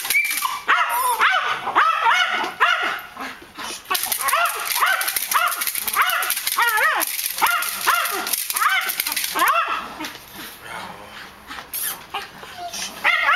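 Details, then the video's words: Malinois guard dog during K9 defence and attack training, giving a fast run of harsh, ringing barks at an uneven pace of nearly two per second, with steady hiss in the background and short pauses between bursts. "Guards K9 Malinois defense and attack training"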